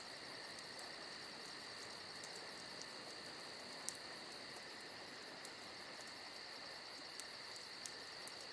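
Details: Crickets trilling without pause on a summer night, a bright, even, pulsing chorus that never lets up, joined now and then by small crackles from a nearby campfire.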